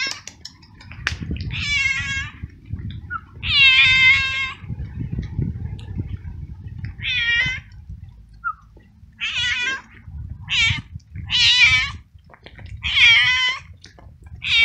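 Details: Stray male cat living alone on the street, wet from hours of rain, frightened and cold, meowing very loudly; about nine loud, wavering harmonic meows come in irregular bursts over low background rumble.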